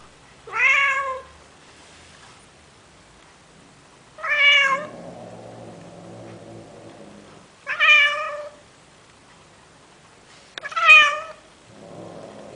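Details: Male domestic cat in Athens, Greece, calling to a female Siamese cat, trying to convince her to mate: four loud, drawn-out harmonic meows about every three to four seconds, with quieter low rumbling sounds between them.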